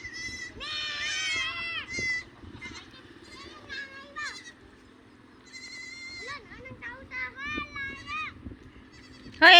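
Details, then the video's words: Domestic goats being taken out to graze by their owners, giving several wavering, quavering bleats in short bursts, with people talking and calling out loudly nearby throughout. "ngpapastol kmi Ng aming kambing."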